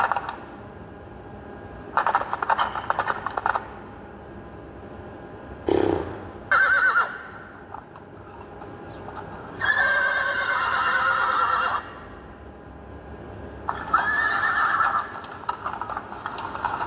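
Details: Young mare beckoning to a stallion with neighs: several harmonic whinnies around 2 to 3 seconds, 10 to 12 seconds and 14 to 15 seconds, with shaky, wavering tones, separated by quiet gaps and a short sharp noise burst.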